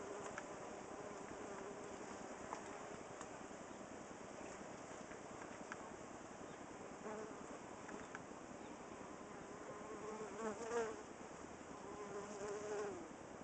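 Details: Honey bees fanning up close at a cedar squirrel box they moved into, cooling the hive, July 23, 2011; a dense, steady buzzing hum that holds throughout, with brief louder swells near the end.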